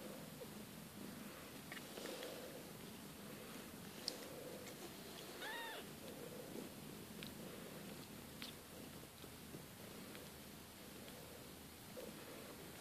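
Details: Growing Siberian kittens, the litter of Kate and Bessie, keep up a soft, low, pulsing purr; midway a single thin rising-and-falling meow rings out, with faint clicks and rustles.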